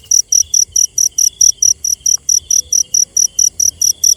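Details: Night-time cricket chirping in an even, rapid series of sharp high pulses, roughly five per second. A quieter sustained whine sits underneath the pulses.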